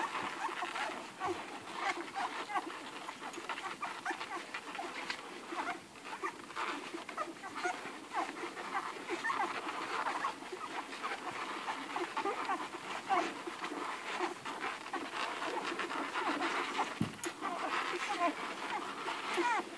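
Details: Eleven Irish Red and White Setter puppies nursing hungrily on their mother Ruby. A dense, continuous wash of suckling, lapping and slurping fills the clip, with faint squeaks mixed in and one dull thump.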